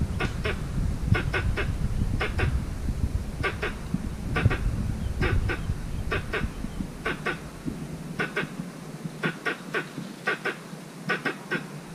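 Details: Squirrel in a mango orchard, filmed by chance on a walk, calling for a mate: sharp clicking chirps in quick pairs, repeated about once a second, over a steady low rumble of background noise.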